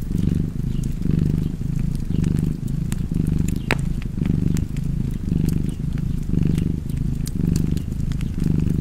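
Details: Cat purring in a deep, continuous rumble, breath cycles rising and falling about once a second, while a fireplace crackles with scattered sharp pops.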